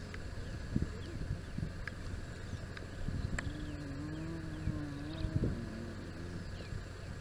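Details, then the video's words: Spotted hyena clan interacting at their den site in the southern Kruger National Park; a drawn-out, low, wavering moan rises and bends over several seconds, with a steady engine hum and faint rustles underneath. "Spotted Hyena clan interacting at their den site"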